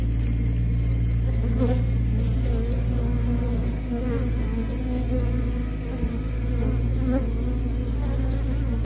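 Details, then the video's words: A steady, deep buzzing drone comes from bees said to be happy. The hum is unbroken and even in loudness, with soft wavering higher tones above the low buzz. "The sound of happy 🐝"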